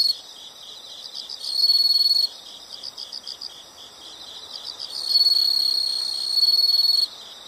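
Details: Insect chorus with continuous high, rapidly pulsed chirping and two louder bursts, one near the start and a longer one toward the end, standing out over the background pulsing.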